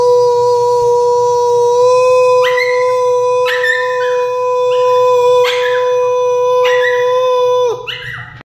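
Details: Yorkshire Terrier singing along to a sustained, steady instrumental tone, with high, wavering howls rising and falling in repeated bursts roughly every second, each ending abruptly before the tone fades out.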